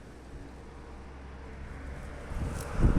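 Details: Steady low wind and vehicle rumble, growing louder toward the end, with no animal sound heard.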